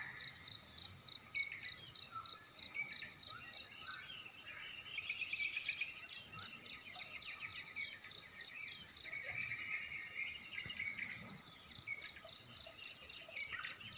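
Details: Crickets chirping in the morning on the west side of Belus Bikase village, Nekmese, Ki'e district, TTS, East Nusa Tenggara: high, steady pulses repeated about three times per second, briefly pausing midway, with scattered bird calls underneath.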